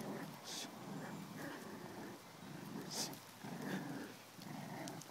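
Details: Jack Russell Terrier puppies playing and tugging at a stuffed monkey toy: continuous low growling with short grunting pulses, a few higher yips, and a person talking nearby.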